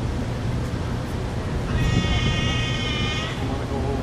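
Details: A sea lion at the Central Park Zoo gives one drawn-out, tonal, bleating bark, higher and clearer than a typical gruff bark; possibly a young animal or one with an unusual bark.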